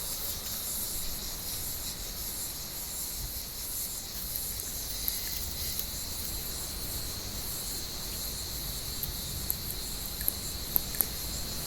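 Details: Cicadas keep up a dense, even, high-pitched hiss from an olive tree on a warm evening, steady throughout, with a few light clicks near the end as cats move through the branches.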